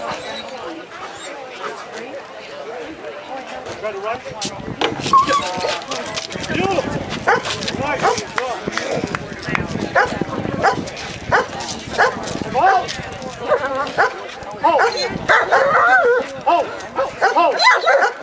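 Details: Working-line German Shepherd Echo, a citizen K-9, performing a police K-9 procedure demonstration at the Woofstock doggie fair in Anthem, Las Vegas, Nevada: a long run of loud, rapid, repeated barks amid a handler's spoken commands and crowd noise.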